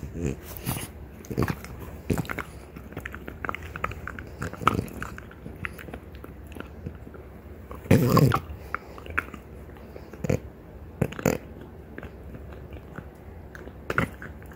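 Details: French Bulldogs Ume and Roku, a mother and daughter pair, grind on deer antlers indoors; irregular crunching taps and scrapes with louder bursts of gnawing and a snuffling breath partway through.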